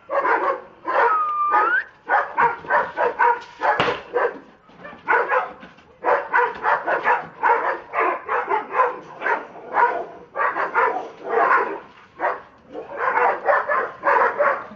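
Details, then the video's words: Rocco and Bridget, two Dobermanns acting crazy, bark hard and fast in long volleys with brief breaks, the harsh barks tumbling over each other; a short squeaky rising tone sounds near the start. "Doberman's Getting Crazy"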